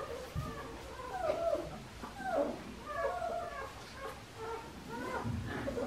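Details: Several five-week-old Australian Shepherd pups, Priscilla's litter at Fifteen Acre Farms in Oklahoma, crying in wavering, bending whines, one after another with short gaps, and soft bumps in the background.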